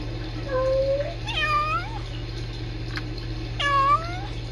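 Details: Tiny kittens at a rescue, filmed by a live-stream camera, trilling and talking to each other: short rising and wavering chirp-like meows with a rolled trill, three calls in quick succession over a steady low hum indoors.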